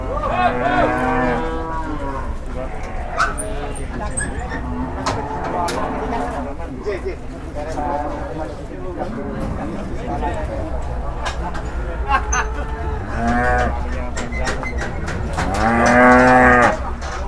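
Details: Agitated, frenzied cattle in Indonesia; one cow rampaged and entered a resident's house. Loud, drawn-out harmonic bellows open the recording and return more strongly near the end, with clatter, knocks and background voices in between.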